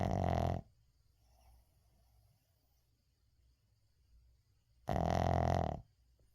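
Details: Sleeping Shih Tzu named 의중 snoring indoors, unedited: two loud raspy snores about four seconds apart, each roughly a second long with a buzzy nasal tone, soft breathing between, quiet small room.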